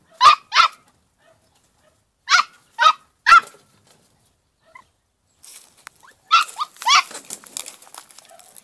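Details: Two-month-old female Podenco de Cuevas puppy in a paddock gives paired high barks, then three spaced yaps, then a final cluster of barks over rustling and scuffling noise.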